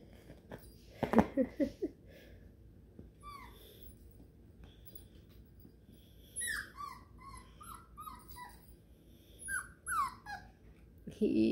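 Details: Five-week-old Beagle puppies exploring and playing indoors give clusters of short, high, downward-sliding squeaky whimpers, with thumping handling noise near the start and a woman's voice close by.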